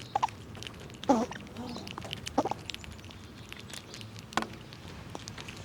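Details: Squirrels feeding on nuts in cold winter weather. A few loud crunching bites come near the start and middle, with scattered clicks and soft rustling between them.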